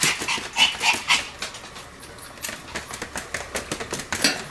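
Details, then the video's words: Pomeranian called Sam, spinning at high speed and barking nonstop: quick bursts of high, sharp yaps about four a second, then softer ones amid clicking and scratching sounds. "超高速回転 ポメラニアン サムの連続吠え"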